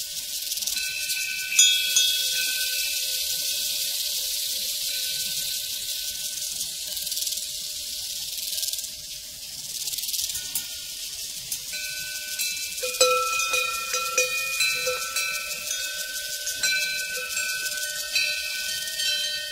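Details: Crickets on a prairie in a dense, steady high-pitched chorus, joined by ringing cowbells whose clear sustained tones layer together and grow busier toward the end.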